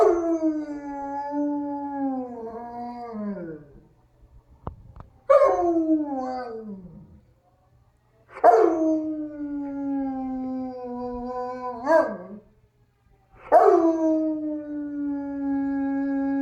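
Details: A male dog, slow to start because he was tired, howls repeatedly at an ACA P-50 tornado siren played from another room. Four or five drawn-out, wavering howls each begin sharply and fall in pitch, separated by short gaps.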